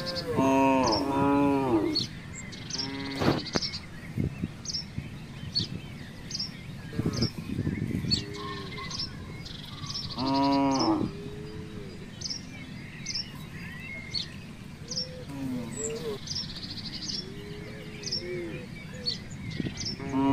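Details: Herd of free-roaming village cattle roaming a housing complex. A long, loud moo opens the clip, followed by several more drawn-out moos and softer lowing at uneven intervals. Birds chirp steadily overhead throughout.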